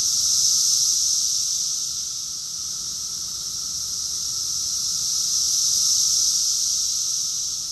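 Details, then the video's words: Cicadas singing together in Rockville, Maryland, USA, in June 2021, a dense, continuous high shrill hiss that rises and falls in slow waves of loudness, with a thin, steady, lower tone underneath. "Cicadas song || Cicada's chorus song"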